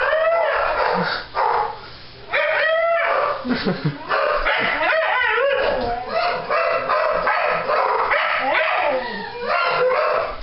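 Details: Dogs going wild with excitement as the owners come home: loud overlapping yelps, whines and rising howl-like cries in quick bursts, one brief lull near two seconds, a person exclaiming.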